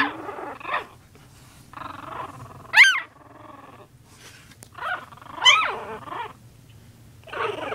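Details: Puppies playing and play-attacking each other: rough growling bursts with sharp high squealing yelps rising and falling near 2.8 and 5.5 seconds, separated by short quiet gaps.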